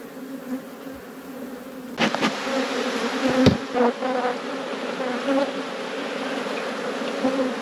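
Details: Apiary honey bees at a hive being inspected, their hum quiet at first and then jumping louder after about two seconds; a sustained buzzing drone with a few sharp knocks mid-clip.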